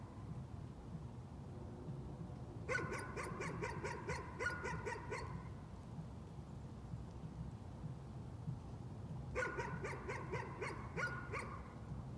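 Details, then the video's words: Two bursts of fast, repeated yapping barks, each about two and a half seconds long and roughly seven seconds apart: nuisance barking by a dog over a steady low hum. "Nuisance barking again."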